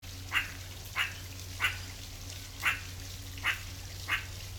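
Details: Meerkat in wild nature making short, sharp chirps repeated roughly every two-thirds of a second, six in all, over a steady low hum.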